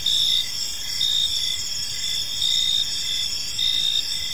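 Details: High, ringing cricket chirps in an evening park, louder pulses arriving about every second within a continuous insect chorus.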